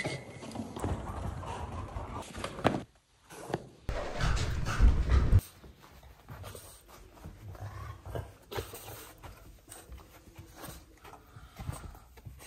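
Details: Begging for sushi, a French Bulldog pants and snorts heavily, with a loud rough burst around four to five seconds, then softer intermittent snuffles and sniffs.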